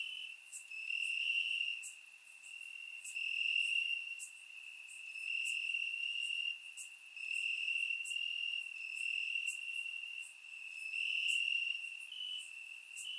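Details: Crickets in grass on a warm summer night, Bulgaria: constant high, ringing trill with regular sharp chirps at roughly one-second intervals and gentle pulsing swells in volume, background otherwise silent.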